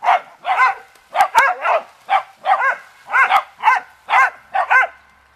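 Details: Beagle-dachshund family dogs at play with a water hose, one barking steadily at the sprayed leaves, a rapid string of about a dozen harsh, ringing barks, some doubled, with a few sharp clicks.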